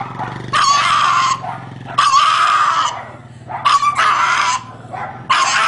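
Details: Dog crying in four loud, sustained whines, each about a second long and roughly a second apart, over a faint low hum.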